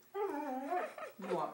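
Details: A Siberian Husky begging for peanut butter gives a drawn-out, wavering, talking-like whine that slides up and down.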